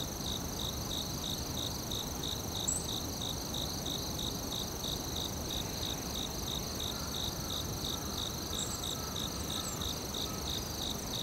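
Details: Forest crickets keep up rapid, evenly spaced high chirps, roughly three per second, layered over a continuous ringing insect whine and dense low rumble.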